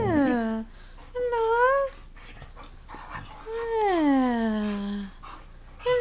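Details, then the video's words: Siberian huskies Mishka, Narla and Shiloh singing while playing indoors: long tonal howls with rich harmonics, sliding up and down in smooth arcs, one drawn-out falling wail lasting about a second and a half, separated by short pauses. "Siberian huskies playing and singing!"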